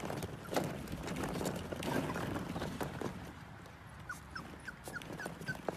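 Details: Pomsky puppies, a husky and Pomeranian mix, with clattering, thumping play noise for the first three seconds, then a run of short, high, thin whimpers and squeaks repeated about twice a second.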